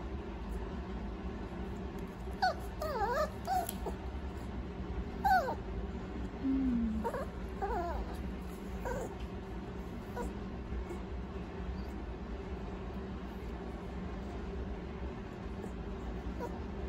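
A Toy Poodle gives soft, high whimpers that slide up and down in short bursts.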